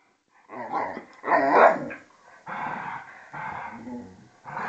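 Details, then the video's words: Two dogs, a vizsla and a pointer named Tarkas and Noonoos, wrestle in play; a run of rough, throaty growls and snarling grumbles comes in four or five bursts separated by short pauses. "vizsla and pointer play fighting"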